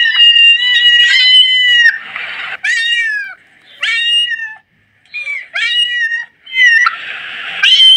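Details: Young kitten giving insistent high meows, about eight in eight seconds, each bending upward then down, mixed with raspy breathy cries and a short silent gap midway.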